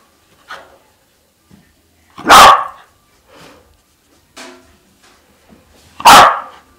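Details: Sealyham Terrier, three years old and once from a puppy mill, excited over chasing tennis balls, lets out two loud, harsh barks almost four seconds apart, separated by quieter whines and small huffs indoors.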